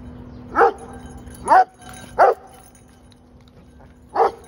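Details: Redbone coonhound, also described as Carolina dog or American dingo, giving four short separate yelping barks with a rising then falling pitch, spaced about a second apart, over a steady low hum.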